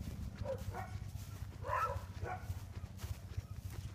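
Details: Sheep guard dogs barking from the far side of a fence while a herding dog works bulls by the barn; about four sharp barks in quick succession over low rumbling wind noise.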